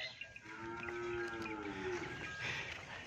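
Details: Nili-Ravi buffalo offered for sale in Punjab, Pakistan, giving a drawn-out, level, tonal moo lasting about one and a half seconds, with rustling and faint farmyard background noise.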